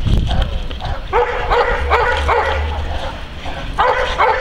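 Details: Kuba, a working Neapolitan Mastiff guarding his owner against agitators, gives a run of loud, rough barks about every half second, then a short pause and two more barks, over low rumbling background noise.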